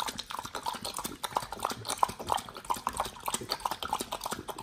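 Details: Nomyen the Pit Bull eats raw beef shank steak, green tripe, chicken feet and quail egg; rapid moist chomping and squelching in an uneven rhythm, with crisp clicks of teeth.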